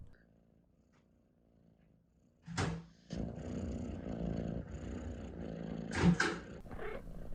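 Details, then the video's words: Domestic cat chirping while it purrs indoors. A quiet opening gives way to sharp broadband chirp bursts over a steady low purr, with louder chirps near the end. "CAT CHIRPS UNCONTROLLABLY"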